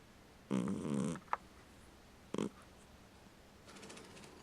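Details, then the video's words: Sleeping pet cat snoring: a harsh, rasping snore of about half a second, then a short snort a second later, with quiet breathing between them in a small indoor room. "Incredible Snoring Cat"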